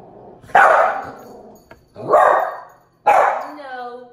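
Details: Dog barks where Tito, a two-month-old Miniature Pinscher puppy, meets Jupiter, a year-and-a-half-old Dachshund, at home: three sharp barks about a second apart, the last trailing into a short tonal whine.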